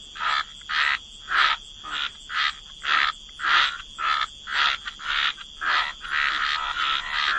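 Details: Wetland frogs croaking at the water's edge: evenly spaced, harsh, rasping bursts, about ten in seven seconds, each lasting around a third of a second. They merge into steadier croaking near the end.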